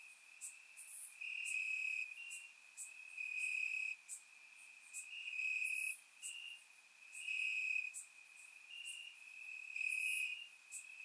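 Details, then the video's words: Grass crickets at night in summer, recorded in Bulgaria with a surround microphone; a constant piercing trill carries on, overlaid by rhythmic louder chirp bursts every second or so and a few sharp high accents. "Cricket Sounds - Crickets Chirping at Night"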